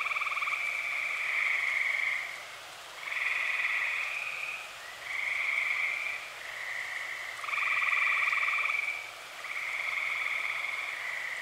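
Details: Early summer night in Eastern Pennsylvania with dozens of tree frogs singing: bright trills of about one to two seconds alternate and overlap in steady succession, some joined by a lower, coarser pulsing trill.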